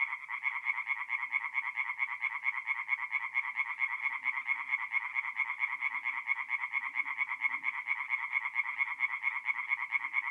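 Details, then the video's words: Night chorus of tree frogs on a forest pond in North-East Italy, mid-April; fast, regular rasping croaks repeat over and over, a few faint low murmurs underneath. "relaxing forest pond by night with singing tree frogs"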